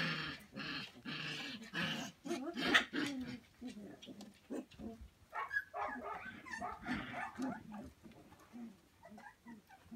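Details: Samoyed puppies of a single litter at play with a pool noodle, Prince Edward Island, Canada, late December: dense overlapping growls, grunts and short whimpers, busy and continuous, with scuffling noise underneath.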